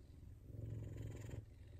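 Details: Purring of an F2 Savannah cat receiving affection and petting: a deep, continuous vibrating rumble that grows stronger mid-phrase and then eases off, with no other sounds.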